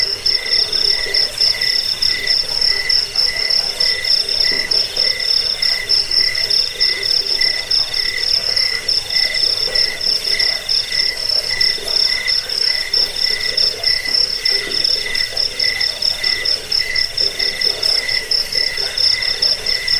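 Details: Cricket (jangkrik) sound used to drive away rats, as a sleep aid and as tutor audio for songbirds: steady, high-pitched pulsed chirping with a fainter lower tone, beats repeating about once a second, unbroken for twenty seconds.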